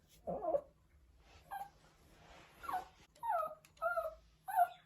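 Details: Pomeranian puppy missing its mother, giving short whining howls that bend up and then down, repeated roughly every half second toward the end, over a faint steady hum.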